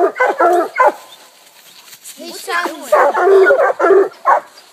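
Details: Coonhounds, a pack of walkers, a bluetick and a black and tan, treeing a raccoon at a new hunting spot; loud, ragged barks and bawls from several dogs at once, overlapping in bursts with short pauses between.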